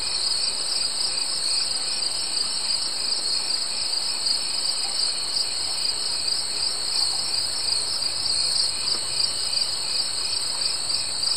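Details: Chorus of summer insects, a continuous high-pitched ringing drone in two stacked shrill tones that never pauses, with soft background hiss beneath.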